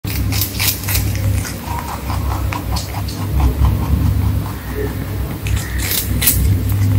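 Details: Pet rabbit crunching food: bursts of sharp, dry crackling chews near the start and again toward the end, with softer clicking bites between them over a steady low electrical hum.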